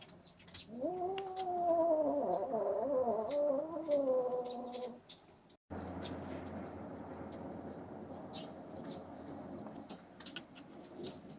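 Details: Three-month-old kitten growling while fighting littermates over a hunted rat snake: a sustained, rising then wavering yowl lasting about four seconds, rich in harmonics, followed by a quieter stretch of rustling and clicks.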